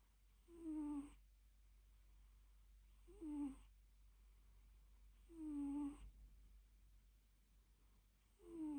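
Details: Sleeping cat snoring and purring through a nap, with four breaths spaced a little over two seconds apart; each carries a whiny, downward-sliding tone and airy hiss, and faint hum fills the gaps.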